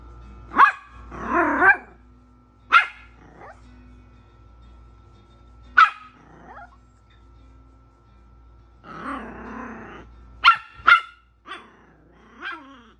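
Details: A Yorkshire Terrier puppy barking at the TV on seeing Rocket Raccoon gives sharp, high-pitched yaps spaced a few seconds apart over a steady television hum.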